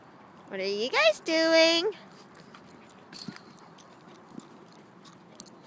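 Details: Shiba Inu named Trooper at a dog park, wrestling another dog, Fabio, over a tennis ball: a drawn-out harmonic whine that rises, dips and rises again in two linked bursts, followed by faint scuffling and a person talking.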